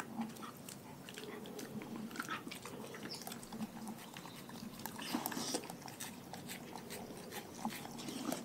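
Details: Raw-fed dogs crunching their food: continuous busy crackle of bites and gnawing, thicker around the middle, with steady wet mastication and no other sounds besides a faint room hum.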